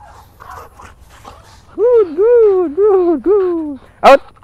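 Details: Belgian Malinois female in training, Philippines: a run of five arched, tonal whining yelps, each rising then falling, in quick succession, ending with one sharp bark; quiet voices beforehand.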